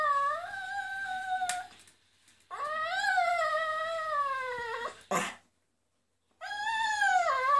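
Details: Miniature poodle singing along to flamenco music: long, tonal, wavering howls with rich harmonics, two sustained phrases sliding gently down, a brief sharp noise burst, then a third howl starting after a pause.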